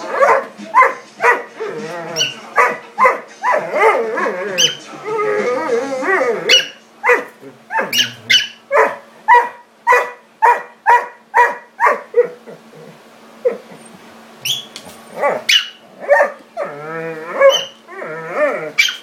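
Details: Doberman Pinscher play fighting with a miniature pinscher indoors: a rapid run of sharp barks and growly yaps, roughly two per second, with rough growling passages and a steady low hum beneath.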